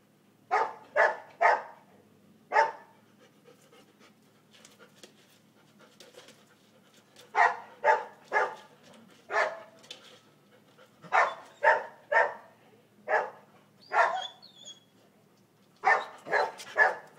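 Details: Golden retriever Tun, 17 months old, worked up over a toy, gives loud rasping pant bursts in quick groups of two to four, roughly two per second, separated by short pauses and faint shuffling.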